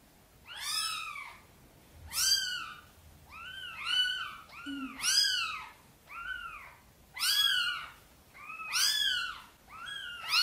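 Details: Mother cat Sonny meowing gently, asking for help to move her tiny kittens into the nest. A steady run of about nine arched, rising-then-falling meows, one roughly every second, with similar loudness throughout.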